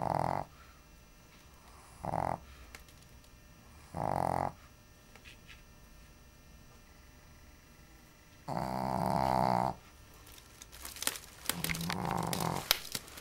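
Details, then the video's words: Sleeping female Shih Tzu, Jessy, lying on the floor by her basket and coffee table in a heat wave; short raspy snores at first, then a longer rattling snore, followed by clicking and rustling noises. "Snoring Jessy (Shih Tzu)"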